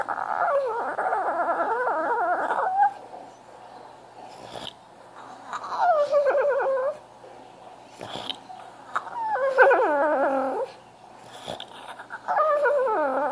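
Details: French Bulldog crying for attention indoors: four bouts of high, wavering whines, each lasting one to two seconds with quick falling and rising slides, separated by short quiet gaps and faint soft noises.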